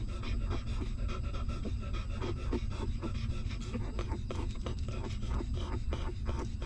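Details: Hungry newborn puppy of a stray mother dog sucking milk: quick, soft smacking and slurping pulses at an uneven rhythm over a steady low rumble of background noise.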